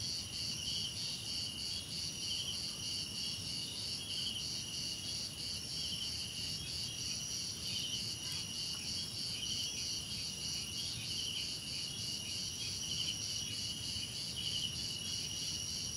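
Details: Crickets trilling together in a thick, unbroken high-pitched chorus, several layers of pulsed chirps overlapping, with a steady low background murmur throughout.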